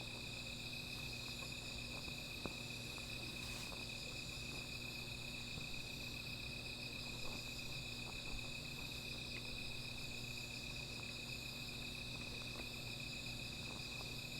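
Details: Insects after dark next to a small fire, keeping up a steady shrill trill layered over a higher faint buzz, with scattered faint clicks like fire crackle and a low background hum.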